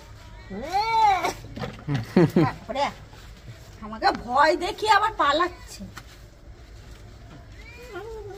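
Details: Pet cat protesting while being given a bath: a loud rising-then-falling meow at the start, followed by a run of strained, wavering yowls, then a short final meow, with Bengali speech mixed in.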